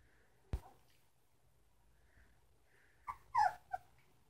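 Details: Three-week-old Samoyed puppies from the Sitka x Izzi litter: after a soft thump, a short cluster of thin, wavering whimpers near the end, over a quiet indoor hush.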